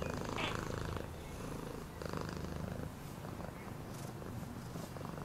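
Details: Purring house cat, a low pulsing drone that rises and falls in breath-like waves roughly every second, with faint voice-like sounds mixed in near the start.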